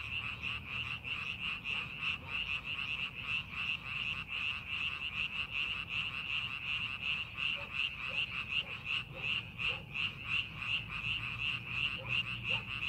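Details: Frogs calling from rice paddies being readied for farming: a dense, steady chorus of rapid pulsed croaks, roughly three per second, with a faint low rumble beneath.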